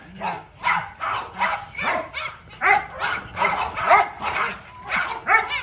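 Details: Little dog at playtime, breathing in quick rhythmic bursts about twice per second, each one a rough, breathy puff with faint voiced edges, steady throughout with no other clear sounds.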